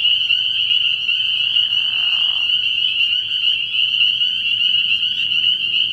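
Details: Night chorus of spring peepers at a frog pond in early spring: countless high shrill peeps fused into a continuous ringing drone, a short lower buzzing trill appearing midway.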